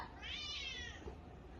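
A domestic cat gives one drawn-out, slightly wavering meow that rises and then falls.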